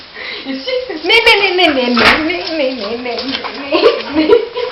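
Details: Pet dog Spike, excited as his family gets ready to take him out for a walk, gives a long, wavering moan-like whine that rises and falls continuously for several seconds, with a few sharp clicks and faint room noise.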